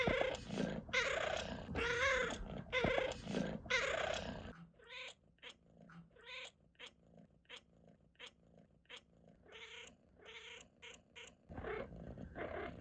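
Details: Cat chirping uncontrollably: a dense, rough stretch of continuous chattering, then a quieter series of brief, clicking chirps in rapid succession, before louder harsh calls return at the end.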